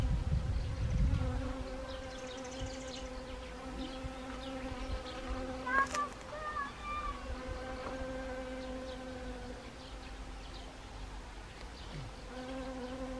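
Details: Honeybees at autumn-flowering Siberian chrysanthemum in Gangwon Province, Korea, 1 October 2020; an opening low thump gives way to a sustained buzzing drone with clear harmonic bands, plus a brief higher chirp midway.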